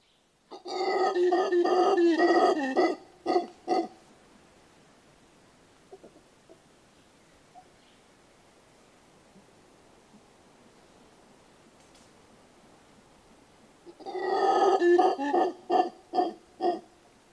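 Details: Mantled howler giving deep, rough roaring howls in a burst of pulses lasting about three seconds, a quiet stretch of faint background noise, then another run of loud pulsing roars near the end.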